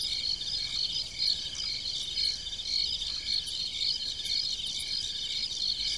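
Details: Several crickets chirp together at night on a farm, producing bright, high trilling pulses that overlap in an even, unbroken chorus.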